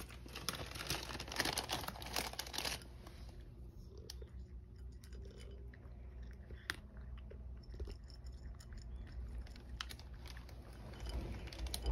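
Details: Quiet indoor crunching and rustling with a low steady hum and scattered clicks; no animal voice is heard.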